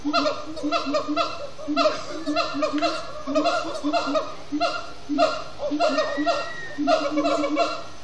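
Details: Siamang gibbons at Disney's Animal Kingdom singing at sundown: dense chorus of hoarse, barking whoops in overlapping groups, swelling and easing in loudness, with a brief higher whistle-like tone near the middle.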